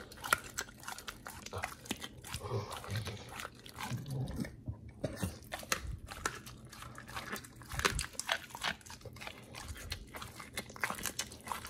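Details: Two dogs, Oli and Nomy, eating raw meat on a prey-model raw diet, recorded 9 November 2022: irregular wet crunches, bites and tearing clicks with low gnawing sounds, a brief pause near the middle, and faint talking.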